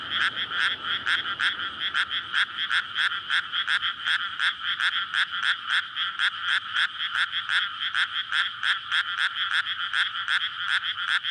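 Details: Frog chorus at night in May from a flooded rice paddy readied for planting, surrounded by housing, frogs calling in courtship; dense overlapping rapid croaks pulsing about three per second, bright and steady, recorded on a SONY PCM-D100.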